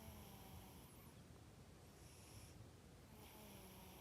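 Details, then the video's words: Sleeping cat snoring, recorded 12 December 2021: soft, airy breaths rising and falling in slow cycles, roughly three breaths within four seconds, over a steady low hum. "Snoring cat"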